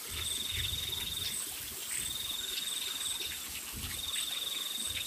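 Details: Crickets calling on a rainy night: repeated high trills of about a second, with brief sharp chirps higher still, set against a continuous wash of rain.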